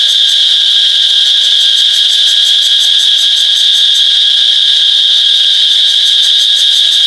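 A cicada gives a loud, steady, shrill buzz that holds one high pitch throughout.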